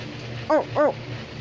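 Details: American Pit Bull Terrier giving two short, high, whining barks about a quarter second apart, arched in pitch, with a person murmuring before and praising the dog afterward.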